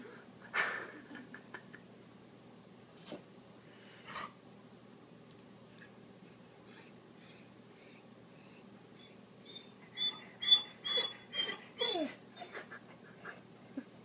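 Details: Corgi named Tommy, treat still in his mouth, eager to bury it; sparse wheezy breaths give way to a cluster of thin, high, squeaky whines repeated about twice a second near the end, in a small quiet room.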